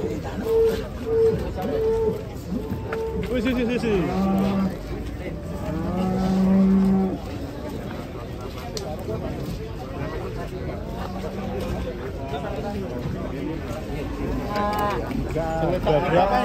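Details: Heavy giant cattle give repeated low moos, the longest and loudest near the middle. People talk around them and faint background music runs throughout.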